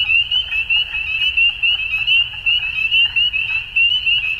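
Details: Many frogs croaking together at dusk, blending into an unbroken high trilling band of fast pulses, with brief louder bursts roughly every half second and a quiet low-frequency rumble underneath.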